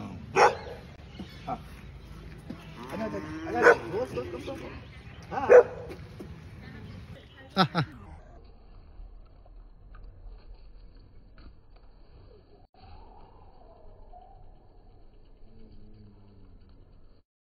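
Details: Two dogs bark at each other: sharp, spaced barks and a few whines in the first eight seconds, then near quiet with faint whimpering tones, a person laughing and talking.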